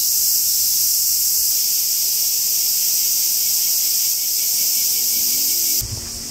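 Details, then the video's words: Cicadas chorusing in woodland on Japan's Tokai Nature Trail near the Yoro Mountains: an intense, continuous shrill hiss that cuts off abruptly near the end, leaving quieter low rumbling. "Marching to a Japanese cicada sound track."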